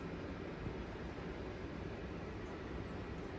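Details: Steady broadband rumble of a passing vehicle or train fills the recording, with no animal voice heard.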